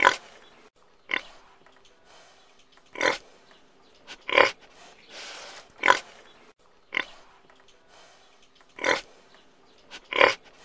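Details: Domestic pig grunting repeatedly, eight short rough squeal-like bursts arriving roughly every one to one and a half seconds at a steady level over a faint background hiss.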